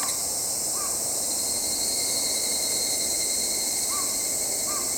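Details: Tanna japonensis, the evening cicada or higurashi, gives a continuous high metallic shrilling; short arched calls from another animal sound three times in the background.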